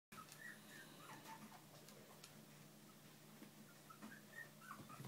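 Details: Bichon and shih poo puppies with their parents, a litter indoors; soft high squeaky whimpers come in short bursts over a steady low hum, several pups calling in overlapping, irregular succession.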